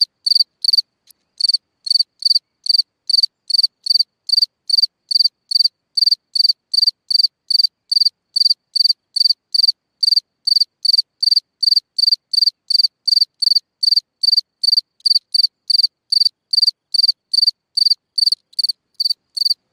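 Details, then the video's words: A cricket singing at night from a hole in the ground: a steady run of short, high chirps, roughly two or three a second, with a faint upper overtone and no other sounds. "Watch and Listen a singing Cricket (Chirping sounds, Hole in the ground, Night Ambient Sounds)"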